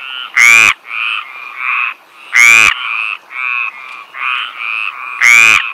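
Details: Stripeless tree frog in southern France giving loud, harsh croaks about every two and a half seconds, with shorter, softer nasal calls from other frogs filling the gaps between them.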